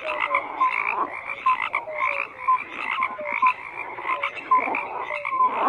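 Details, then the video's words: A frog chorus of raspy pulsed croaks in irregular bursts, with distinct short downward-sliding tonal notes repeating among them and a few sharp clicks. "FROGS CROAKING"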